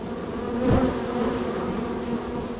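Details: Steady honey bee hum from hive #3, a very active colony with many arrivals and departures; one bee swells loudly past early on, then the even droning chorus continues.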